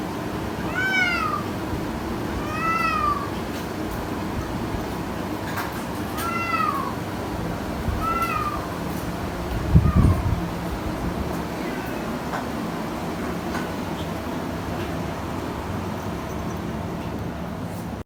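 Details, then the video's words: Cats at play making weird noises: short, bright, arched chirping calls repeated about every two seconds, then fading, with a thump midway and steady room noise. "Cats Make Weird Noises When They Play"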